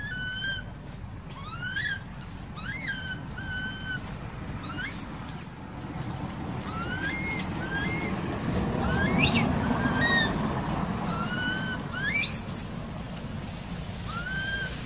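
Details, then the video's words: Young monkey in an archaeological park cries while its mother ignores it, giving repeated high, thin wails that rise and fall, about one every second or two, with some sharp squeaks, over a low background hum. "Poor Baby Monkey Crying Without Caring From Her Nasty Mom Monkey"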